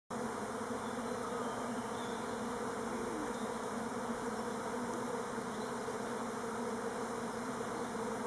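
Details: Elgon Buckfast honey bees making orientation flights on Timrarö near Stockholm. A dense, steady swarm hum fills the low and middle range throughout, with no breaks and no other clear sounds.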